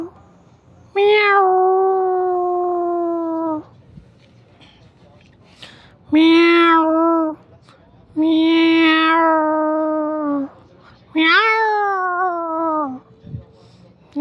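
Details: Mother cat and kitten, domestic, meowing: four long harmonic meows about two to three seconds each, starting high and sliding down then holding steady, separated by pauses, last one rising at its start.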